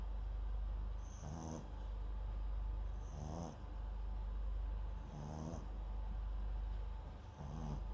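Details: Sleeping Papillon × Japanese Chin mix dog named MAX, recorded at home with a microphone placed beside him; low rasping snores roughly every two seconds, each a short buzzy rattle with a faint high hiss on the inhale, over steady low background hum.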